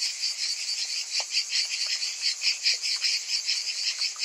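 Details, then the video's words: High insect drone of summer cicadas, swelling and fading in slower, uneven pulses, with a few faint ticks underneath. "Cicadas in Summer"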